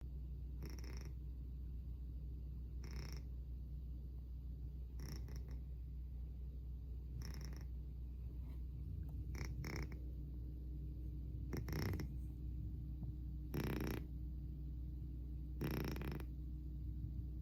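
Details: Domestic cat snoring loudly: a low, steady rumble throughout, with breathy noisy bursts about every two seconds as it breathes.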